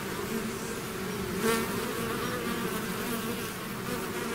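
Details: A bee swarm emerging from its hive fills the air with a constant, rough humming drone; one nearer bee flies by briefly early on, otherwise the buzz stays level.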